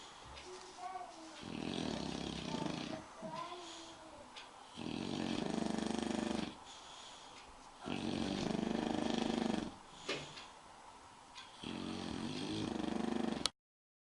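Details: Asleep, the English bulldog Spike gives four drawn-out, raspy snores, each lasting about one and a half seconds, with quieter breathing gaps between them in an indoor setting.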